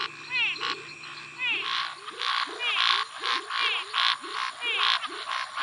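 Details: Tree frog Scinax x-signatus giving its territorial call among calling Pithecopus nordestinus, Physalaemus albifrons, Leptodactylus vastus, Pseudopaludicola pocoto and Dendropsophus nanus. Harsh buzzy pulses alternate with swooping harmonic notes, over rapid repeated low chirps from other frogs.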